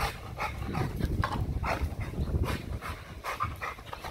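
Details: XL American Bully pitbull working out on a heavy-duty spring pole, breathing hard in quick, rough, noisy pants over a low rumbling background.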